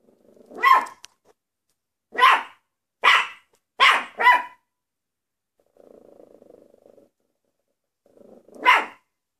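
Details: A Maltese dog gives a run of sharp, high yaps, four bunched close together, then a soft low rumbling patch and one final bark after a pause.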